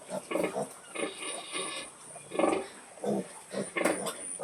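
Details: Mother pig grunting to call piglets to feed: low rough grunts in uneven bursts, some with harsher upper tones, about 42 per minute.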